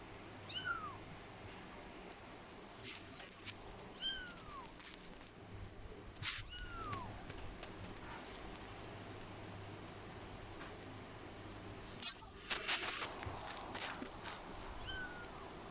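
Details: Curious calico kitten gives faint, thin, descending mews roughly every two seconds, soft and high, over a steady background hum with occasional rustling and clatter.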